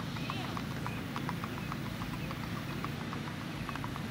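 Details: Strawberry roan Tennessee Walking Horse stallion ridden by a young girl on a ladies' trail ride in Macedonia, Texas; light, quick hoof clicks repeat steadily over a constant low rumble, with a voice briefly heard.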